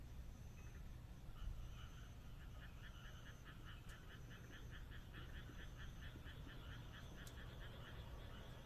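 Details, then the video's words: Frog chorus on a moonlit countryside night in Japan. Fast, evenly pulsed rattling croaks run in long trains, with a thin, high, on-off whine above and a constant low background rumble. "田舎の月夜 カエルの鳴き声"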